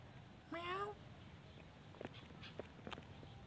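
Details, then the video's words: A single loud, drawn-out rising meow from cats at a pagoda asking for food, followed by scattered soft clicks and taps. "Mother cats and kittens Pagoda Talking " Meow Meow " asking food me"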